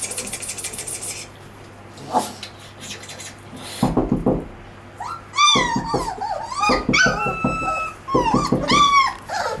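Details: Puppies from a 22-day-old litter whimpering and yelping: short bursts of scratchy yips, then several high, wavering, falling whines and a thin sustained squeal, with a constant low hum behind.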